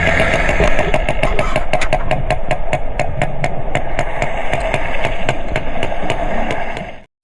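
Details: Sperm whale clicks, sounds it uses to communicate: sharp, broadband knocks repeated steadily several times a second over a low, rumbling background.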